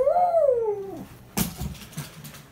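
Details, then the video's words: Dog whining because it wants to go out: one high, thin tonal whine, briefly rising then sliding down over about a second, followed by a knock and faint rustling indoors. "Apollo wants to go!"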